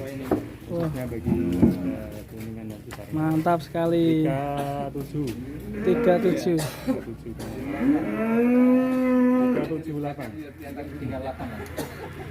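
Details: Young non-poel "concrete-neck" cattle raging in its pen at Duta Farm 61, Kuningan, West Java, Indonesia: repeated loud, drawn-out moos, some rising then falling, between bursts of human voices and clatter.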